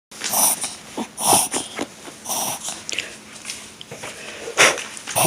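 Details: Five-year-old Toy Poodle having a reverse sneeze brought on by excitement, indoors: loud, harsh snorting inhalations repeat roughly once a second, each a rough, noisy gasp, with a few quieter snuffles between.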